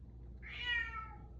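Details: Bengal cat meowing indoors in the evening after dinner: a single drawn-out meow with clear stacked harmonics, rising then gently falling, lasting about a second, over a low steady room hum.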